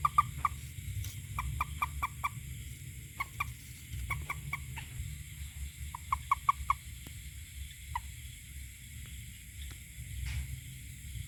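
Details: Toad producing rapid series of short, ringing notes, grouped in runs of four to five, then a lone note before a pause, over a faint low hum.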